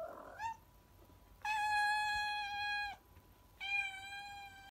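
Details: Domestic cat indoors on a nasty, stormy evening before dinner and settling for the night. It gives a short rising chirp, then a long, steady, strongly harmonic meow lasting about one and a half seconds. A shorter, similar meow follows after a pause.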